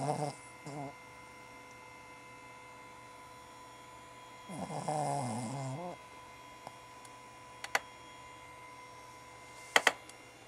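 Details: A small female Cavalier King Charles Spaniel snores loudly while asleep and dreaming, giving a short rasping breath and then a longer, fluttering, throaty snore; a few faint taps and clicks follow in a quiet room.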